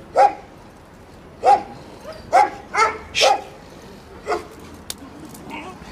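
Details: Cukulat the Jack Russell goading the dogs of Samandira TÜV inspection: about six loud, bright barks with uneven gaps, fading to a softer one, then a sharp click near the end.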